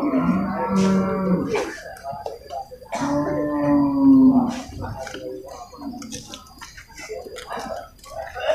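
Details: At the Purwakarta animal market, Monday 21 November 2022, amid cattle and water buffalo: two long, deep, moaning bellows about three seconds apart, each over a second long, while voices chatter and market noise carries on between them.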